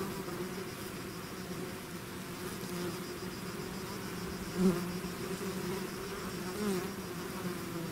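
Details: Mass of bees swarming from a hive, constant layered buzzing drone; a single bee flies close about halfway through, giving a brief louder whine over the steady hum.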